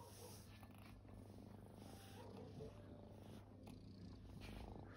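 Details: Resting kittens purring: a steady low rumbling throb that runs unbroken through the whole stretch, with faint soft rustles over it.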